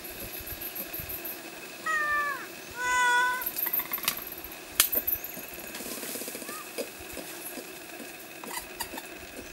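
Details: Ring-tailed lemurs at Anja Reserve give two clear, nasal, meow-like calls, the first bending downward, in quick succession. A faint third call follows later, with scattered clicks and rustling around them.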